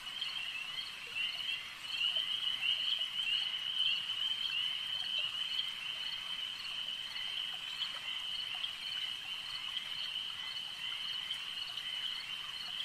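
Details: Lakeside frog chorus, a continuous high ringing wall of overlapping calls, swelling slightly around two seconds in and then steady, dotted with brief sharp clicks.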